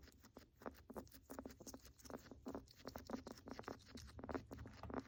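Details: Crackling, rattling breaths from a pet guinea pig, a warning sign of respiratory illness: rapid, irregular clusters of brittle clicks rising and falling in loudness over a quiet low background.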